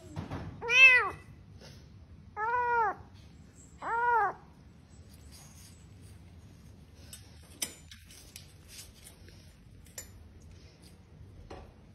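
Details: Cat meowing three times in quick succession within the first four seconds, short arched cries, followed by quiet room noise with occasional small clicks and faint distant voices.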